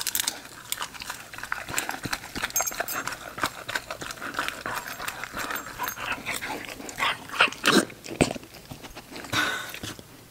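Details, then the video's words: Female English Cocker Spaniel puppy eating indoors: steady crunchy chewing and clicking of kibble, with irregular louder crunches and soft lapping bursts throughout, the loudest crunches near the end. "ENGLISH COCKER SPANIEL PUPPY EATING SHOW"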